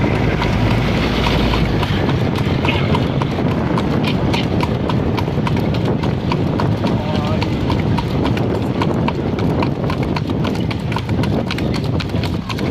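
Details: Night cart ride behind a horse: rapid clip-clop of hooves under a heavy low rumble, with people talking over much of the stretch.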